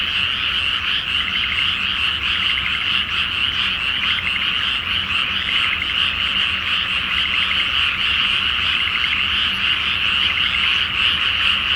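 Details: Night chorus of numerous frogs in a water-filled rice field awaiting planting, full moon overhead, Japan: unbroken mass of croaking with quick rattled trills repeating through the din.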